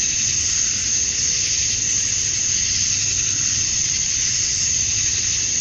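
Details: Georgia, USA, summer dusk: massed male cicadas chirping to attract females produce a constant sizzling high-pitched buzz, uniform in tone and volume from start to finish, nothing else distinct.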